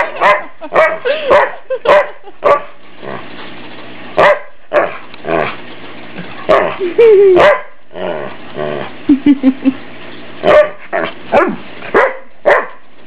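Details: Family dog teased at home and enjoying the attention, barking repeatedly in a long excited series of short, punchy barks, with a stretched whine midway and brief yips between bursts.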